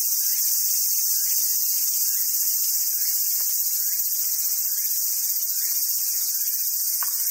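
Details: Summer cicada chorus at a wild Japanese macaque site on Awaji Island, Hyogo, Japan: an unbroken shrill buzzing drone holds throughout, with soft lower chirps and a sharp tick near the end.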